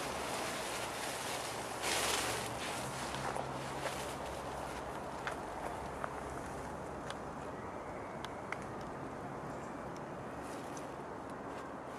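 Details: Outdoor garden ambience of steady wind noise and rustling, with soft footsteps and a few light taps and clicks.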